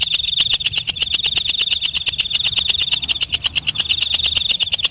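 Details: Walang kecek, a katydid heard at night, producing a continuous shrill buzz laced with fast, evenly spaced clicks, dense and unbroken across the whole stretch, with soft low rumble in the background.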